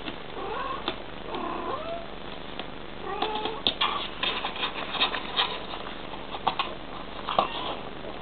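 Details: Bengal cat mother talking to her kitten: soft, curving chirps and short trilled calls rising and falling, several in a row, mixed with sharp clicks and thumps from movement nearby.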